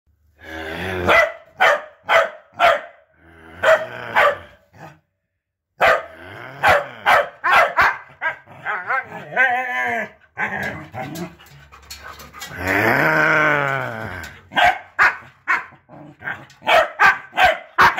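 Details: A Siberian Husky named Hunter, being taught to bark by a group of corgis, joins short, sharp barking bursts with a drawn-out husky-style yowl.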